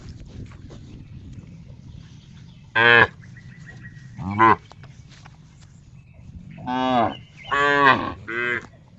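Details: Cow giving a funny sound: brief nasal moos, two isolated then a quick run of three, short and harmonic with a steady low hum underneath.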